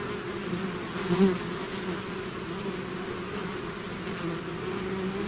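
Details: Bees swarming from their hive: an even, thick low hum of many wings, punctuated just after one second by a single close bee whose buzz swells loudly and fades.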